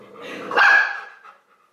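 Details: An 8-week-old Oorang (Mountain) Airedale Terrier puppy gives its first barks, a single high, sharp bark after a brief rough whine, on its first night meeting a 7-year-old Airedale.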